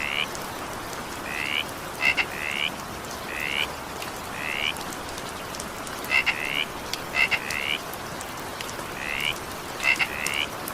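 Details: Falling evening rain hisses steadily while a frog gives irregular short upward croaks, some introduced by clicky double pulses, calling every one to two seconds.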